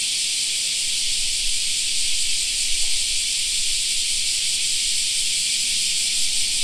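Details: Many cicadas droning together in a park during summer, an even, sizzling high-pitched buzz that never breaks, over soft low background noise.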